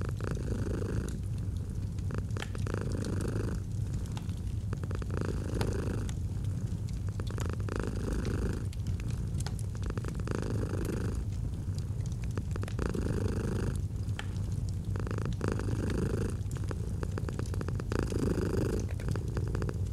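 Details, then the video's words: Gentle purring of a domestic cat beside a fireplace, autumn ambience: continuous deep rumble swelling and easing about every one and a half seconds, overlaid with frequent sharp wood-fire crackles. "Fall asleep to the Purring of a Cat & Fireplace"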